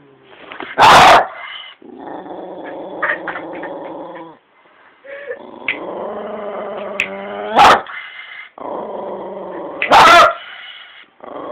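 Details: A Jack Russell Terrier, aggressive toward the owner's brother though not usually like this, gives sustained rough growls broken by three sharp loud yips or barks, with short gaps between bouts.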